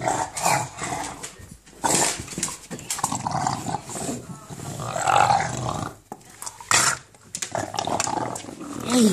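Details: English Bulldog growling while playing with a ball indoors, a gremlin-like monster sound; rough low grumbles in bursts with gaps, mixed with a person talking to the dog and handling noise.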